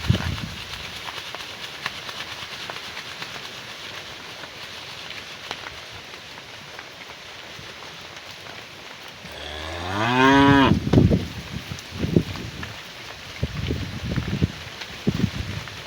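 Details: A cow in a herd being brought home to the barn in the afternoon, calling to its herd mates: after a long stretch of low rustling background noise, one short, rising, harmonic moo about ten seconds in, followed by scattered thuds.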